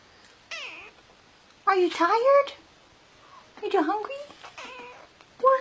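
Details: House cat chattering with its human: a run of short and longer wavering meows, some rising, others sliding down, interleaved with a woman's questioning voice in a small room.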